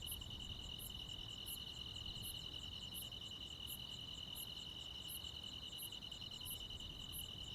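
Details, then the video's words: Night insects, crickets among them, on a rural midsummer night: an unbroken ringing trill holds steady, while separate piercing high pulses come in a regular series about every three-quarters of a second. "시골 야간 귀뚜라미, 벌레 소리"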